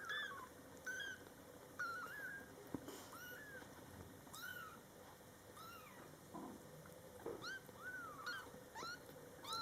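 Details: Two-week-old kitten that has just opened its eyes, indoors with its mother nearby, giving thin high-pitched mews, each a short arched rise and fall, repeated roughly every second in quick irregular series.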